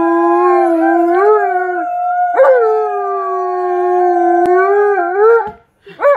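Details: Alaskan Malamute Tonka howls with delight at visitors. A smooth, drawn-out howl sits low and steady, then lifts briefly before a second long howl that rises at its end. A short yip-like burst comes at the close.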